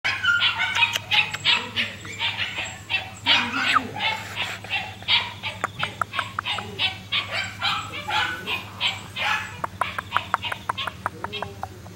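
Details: Red male Shiba Inu puppy recorded 18 August 2008, letting out a fast run of short, sharp, noisy yips, about three per second, loud at first and gradually softening, over a faint low hum.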